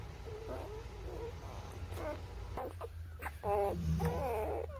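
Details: Tiny newborn puppies in their first weeks whine and squeak in quick wavering, harmonic bursts, some rising then falling, with a constant low background hum.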